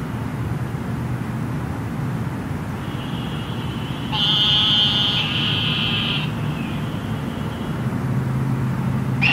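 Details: Eastern narrow-mouthed toads calling in Houston after flooding rain: a long nasal, buzzy bleat lasting about two seconds, preceded by a fainter buzz from another toad, over steady low city traffic rumble.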